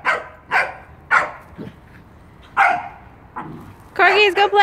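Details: Knives, a Pembroke Welsh Corgi, at a first birthday celebration: a run of short sharp barks roughly every half second, then a pause, more barks, and a final burst of higher yipping, harmonic barks; voices heard nearby.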